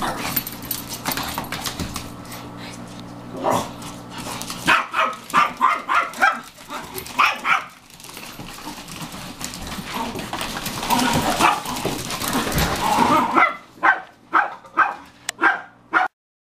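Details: Four female Pekingese, aged five to seven, two of them fosters, playing hard and loud; a long noisy stretch of growls and scuffling, then a rapid run of sharp barks near the end.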